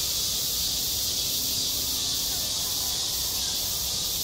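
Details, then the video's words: School playground in high summer with cicadas singing, a shrill continuous hiss swelling in regular pulses about twice a second. "한 여름 운동장에서 매미가 울고 있다"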